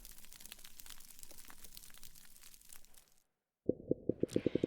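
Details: Snapping shrimp on a coral reef fill the water with dense, sharp popping clicks that blend into a steady reef crackle.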